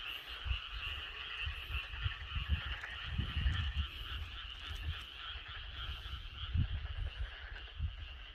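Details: Frogs and Korean narrow-mouthed toads calling together in a loud outdoor chorus. A steady high trill runs throughout, and frequent deep, throbbing croaks rise and fall, bunching thickly near the middle.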